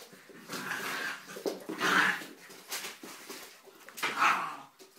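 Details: Dog playing boisterously with puppies indoors; two short, bright whining yelps break out near two and four seconds, set against soft scuffling and pattering of paws during the rough play.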